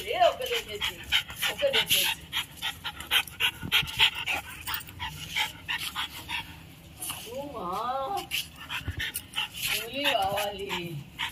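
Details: Two French Bulldogs on a morning walk in Kolkata, India: rapid rhythmic panting throughout, with a couple of short rising-then-falling whines near the end, and people talking in the background.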